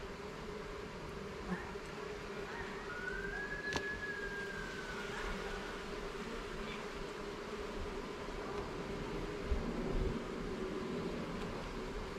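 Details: Buzz of honey bees while a garden hive's frames are inspected: an unwavering drone carries on as a smooth, siren-like tone rises and falls in an arc early on, with a sharp knock near the middle.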